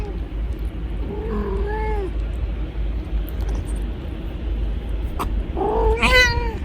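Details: Mother cat helping herself to milk bought for her kitten gives two drawn-out meows, rising then falling, about four seconds apart, over a steady low rumbling background.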